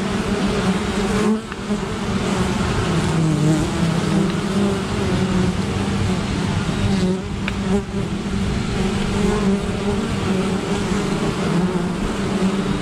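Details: Many honey bees defending their apiary against an attacking great black wasp, giving a thick, continuous low buzzing drone with shifting humming tones, briefly dipping near the start before the swarm noise swells again.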